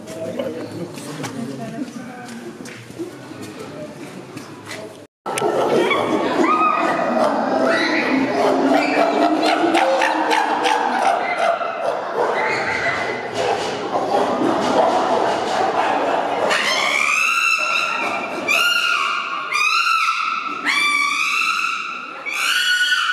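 A group of chimpanzees calls loudly, ending in shrill, rising and falling screams.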